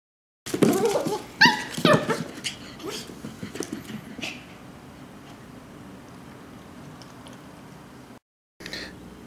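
A Shetland sheepdog puppy gives a burst of high, yappy barks and whimpers, then falls quiet.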